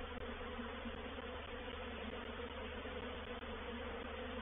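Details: Honey bee reproductive swarm moving into a bait hive (swarm trap) at Painted Peacock Manor, 04/07/21. A dense, steady, droning hum of many wings fills the clip without pause, evenly loud throughout.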